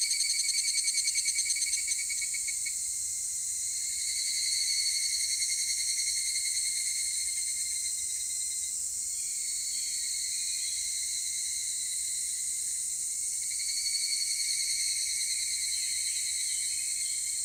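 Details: Evening calls of the higurashi cicada, 16:14 on Monday 23 July 2018, Takahashi City: a fast pulsed trill fading out over the first two seconds over a dense high insect chorus, with softer pulsing swells returning near five and fourteen seconds.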